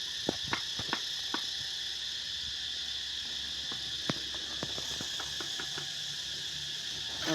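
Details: Cicadas, many of them around the Songkran season, make a steady, shrill, high drone that holds unbroken through the whole stretch, with scattered sharp taps and knocks over it.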